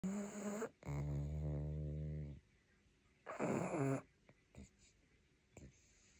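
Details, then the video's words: Pangpang the Pug, drowsy and trying not to fall asleep, gives low rumbling snorts: a long harmonic snore for about a second and a half, then a shorter one, with faint breathy snuffles between. "Dog Trying not to Fall Asleep 😴 Pangpang the Pug"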